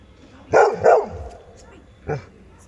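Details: Adult Labrador Retriever barking hard: two loud, deep, harsh barks in quick succession, a pause of about a second, then one shorter bark against a quiet background.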